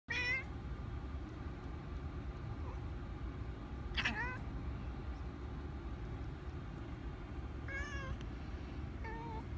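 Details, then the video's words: Tonks the cat, trying to battle a mantis, gives a few short wavering meows spaced several seconds apart, with a last softer, lower one, over steady low background rumble. "Cat versus mantis"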